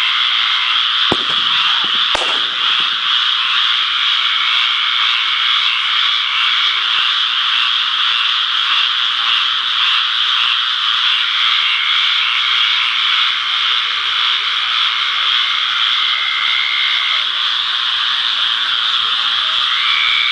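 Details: A dense chorus of frogs gives high, trilling calls, steady and continuous, on July 4th, with a couple of sharp clicks early on.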